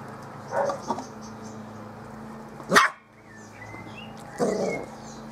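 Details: Playful Bearded Collie puppies of the M litter romp on a roof terrace. Short barks and yelps come irregularly: a muffled pair early, a loud sharp bark near the middle, and a grumbling bark at the end, with a hissy background.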